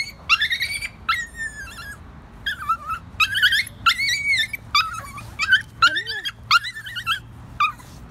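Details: Indoors, Screech, a rescued, formerly abused dog prone to anxiety attacks, gives loud, wavering whimpers and yips that rise and fall in pitch, repeated in rapid bursts, with a person's voice heard faintly alongside.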